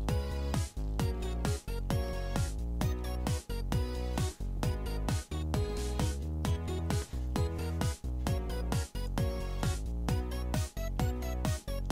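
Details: Steady electronic background music with a regular beat throughout.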